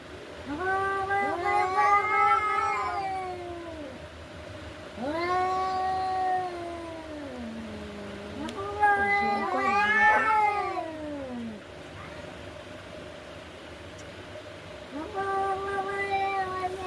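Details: Cats fighting: repeated caterwauls, long arching moans that rise and fall, a low growling dip near eight seconds, then a sharper climbing wail and a final sustained yowl, with people murmuring in Bengali.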